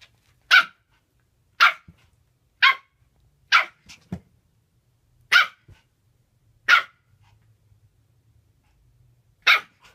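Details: Japanese Spitz dog playing by itself, barking in single sharp yaps spaced about one second apart, seven to eight barks, with small thumps between them.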